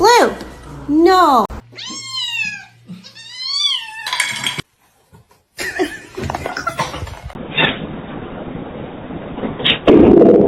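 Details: Kitten giving a run of short, arched meows that fall in pitch, three or four in quick succession, followed by clattering, background noise and speech.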